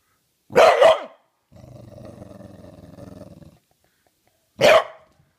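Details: A trained English Bulldog growls on command, a low rumbling growl lasting two seconds, bracketed by sharp single barks, as his handler urges him on.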